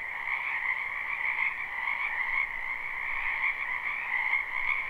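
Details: Spring wetland frog chorus recorded live: countless overlapping croaks merge into a continuous buzzing trill, holding two constant pitch layers with slight rhythmic swells and no pauses.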